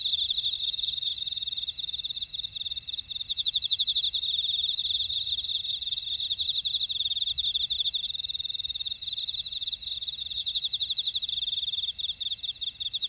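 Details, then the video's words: A thick chorus of grass insects fills a buckwheat field in Ora-dong, Jeju Island, South Korea: sustained high shrill bands with quick repeated chirp pulses, several callers overlapping steadily throughout. "제주 메밀밭의 풀벌레 소리"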